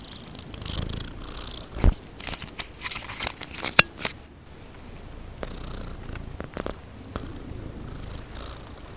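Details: Affectionate cat Rudolph purring while held safe in his owner's arms: a low, steady rumbling purr, with soft rustling and handling noises and a few sharp clicks over the first four seconds.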